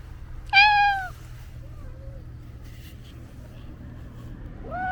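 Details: House cat with a loud, bright meow that rises then falls. A faint quiet mew follows, and a rising meow begins at the end over a low background hum.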